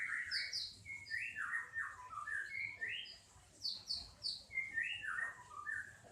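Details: Baby kampung cat with patched coat suckling from its mother gives a rapid, nearly continuous run of shrill, downward-sliding mews, several per second, with no other noticeable sounds.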